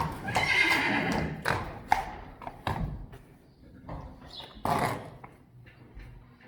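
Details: Friesian horse from a herd, recorded while the horses are measured to compare height. A loud, rough whinny in the first second, then scattered hoof knocks and clatter, with a Dutch voice speaking briefly.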